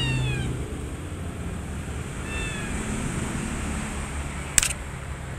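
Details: Kittens together with their mother cat at a volunteer cat rescue: two thin, high meows, one at the start and another about two seconds later, each bending downward, over a steady low rumble and hiss, with a sharp click near the end.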